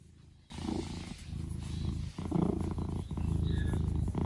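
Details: Gray domestic cat purring while sunbathing indoors: a steady, low, rumbling purr with rapid regular pulses, roughly four per second, plus soft rustling and handling noises.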